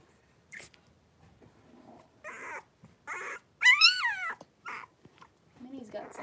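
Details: Indoor pen with three-week-old blenheim Cavalier King Charles Spaniel puppies at play, a litter of five; scattered short squeaks and grunts lead to one loud wavering whine that rises and falls, with soft shuffling between calls.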